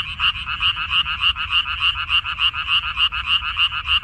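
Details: Chorus of frogs in a water-dropwort paddy in Korea, recorded 14 May 2021: quick, evenly spaced croaking pulses, roughly three per second, forming a steady ringing trill with a low background hum.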